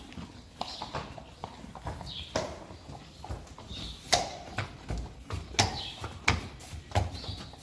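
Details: Friesian horses taken outside from their stable, going quickly: scattered hollow clip-clop hoof knocks at an uneven pace, some louder thuds, over low rumbling and shuffling noise.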